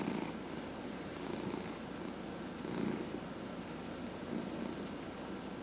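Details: A pet cat purrs under a massage, one of four household cats; brief stretch of dense, low vibrating purr pulsing in soft waves, about one swell every one and a half seconds.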